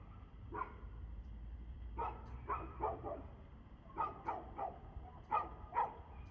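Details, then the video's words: Dog barking at 6:02 pm on 2/6/2024: sharp barks singly and in quick pairs or triplets, about nine over six seconds, over a steady low rumble. "Barking Dog"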